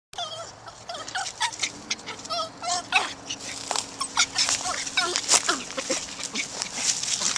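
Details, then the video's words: A hyper, happy terrier giving excited high-pitched whines and yelps in quick irregular bursts, with short squeaky cries and snuffling noises, plus a low steady background hum. "Crazy Happy Terrier!!!"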